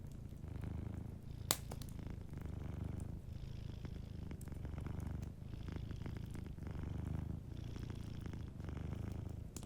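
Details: A cat purrs gently in its sleep beside a warm fire. A steady low rumble swells and eases with each breath, with occasional faint fire crackles and one loud pop early on.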